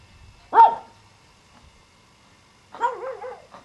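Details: Pomeranian Spitz puppies, Eliott and Léna: one sharp high yip, then after a two-second pause a quick run of wavering, squeaky puppy yelps and whines, over an otherwise quiet background.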